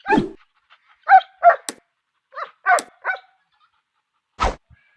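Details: A dog gives single and paired sharp barks with gaps of silence between them, some with a whiny rising edge, and a final lower, harsher bark near the end.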